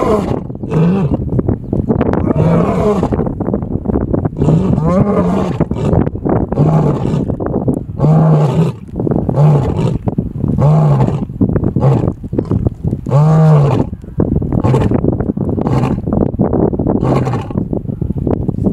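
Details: Lion roaring in the Serengeti in the early morning: a deep, rumbling series of heavy grunting bellows, repeated steadily.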